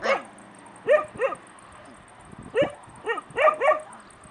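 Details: High yips from stray puppies in Bursa, Turkey, each dropping sharply in pitch, coming singly and then in quick runs of two or three, over a quiet background.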